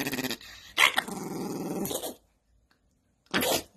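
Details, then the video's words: Angry dog growling indoors, a rough pulsing snarl lasting over a second between short cuts, with brief bursts of other noise before and after. "Angry Dog Compilation"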